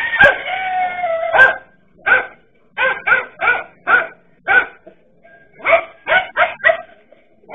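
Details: A dachshund barks in sharp, rapid bursts at a threatening king cobra, after an opening whine.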